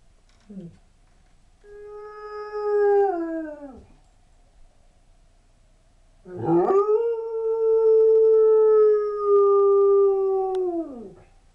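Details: Sable Shepherd/Husky mix dog howling in response to an old whining fire truck siren; two long, steady, mid-pitched howls, the first about two seconds, the second about four seconds, each sliding down at the end, with a brief yelp beforehand.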